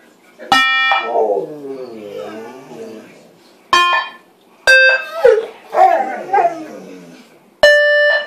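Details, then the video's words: Pet dogs howling indoors in reply to a sound maker copying an ice cream truck, which they always howl at. Short electronic tones cut in; after each, wavering mid-pitched howls slide up and down for a second or two. "Making the dogs howl"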